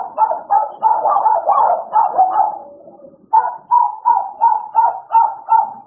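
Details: Two American Bullies, Idol and Alice, playing: a dense run of barks trails off into a low whine, then after a short pause clipped yips return at a steady beat of roughly two per second.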